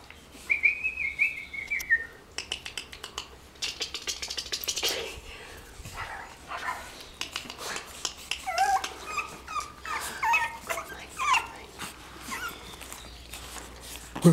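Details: Pug Jack puppies, Pug crossed with Pug Jack mother, giving high thin whistled whines that slide downward, then scattered short squeaks and yelps amid rustling and handling noises.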